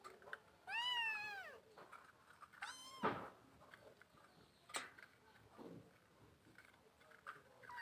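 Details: Two loud kitten mews, each arched and strongly harmonic, come close together near the start, followed by clicks, a sharp knock and faint rustling.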